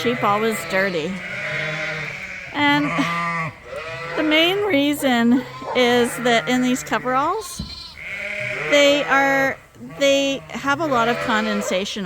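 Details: A crowd of Suffolk lambs mixed together in a barn at Ewetopia Farms, racing about with extra space, calling in a near-constant chorus of quavering, tremulous bleats, short and long, over a low steady drone.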